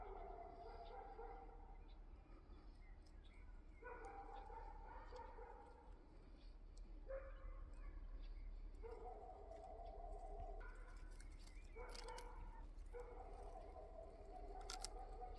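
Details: Domestic cat meowing outdoors in a yard shared with rabbits and poultry: a run of about seven tonal, slightly wavering meows, each around a second long, closely spaced, over low background rumble with brief clicks near the end.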